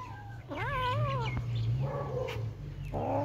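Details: Kittens at play give a drawn-out, wavering meow that rises and dips, followed by softer, shorter mews, with a constant low hum underneath.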